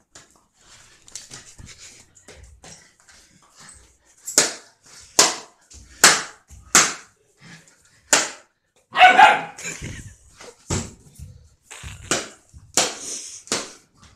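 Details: Short-coated German Shepherd, shown growing from puppy to two years, giving a series of sharp barks spaced about one second apart, with some quieter sounds between.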